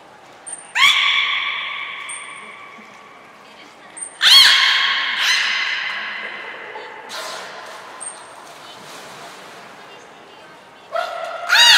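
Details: Training and a pool transfer for the belugas Hodoi, Taanya and Mirai, Nagoya Port Aquarium, 14 March 2021: a series of bright, buzzy, harmonic squawks with echoing tails, about five bursts, mixed with short, high-pitched whistle blasts.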